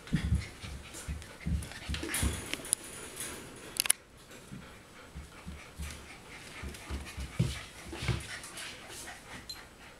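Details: Golden retriever puppies, four weeks old, pant in fast airy bursts, then a sharp click cuts in; softer, steady breathy panting follows.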